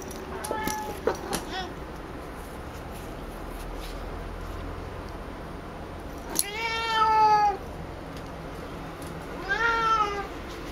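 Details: Female house cat Picchi, excited by a ball made of her own brushed-out hair, talking a lot; two drawn-out harmonic meows, about a second each, after some short scuffling sounds, in a quiet room.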